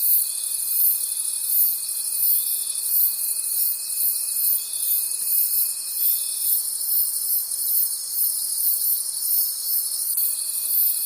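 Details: Night-time forest crickets form a continuous high, pulsing trill, throbbing roughly three times per second; a level, thin, piercing tone runs underneath for the first six seconds and returns briefly at the close.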